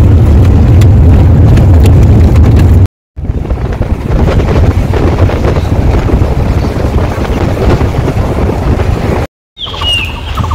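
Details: Rumbling vehicle engine and wind buffeting dominate, with two brief cuts and no clear animal voice. A faint, short high squeak appears near the end but is too slight to identify.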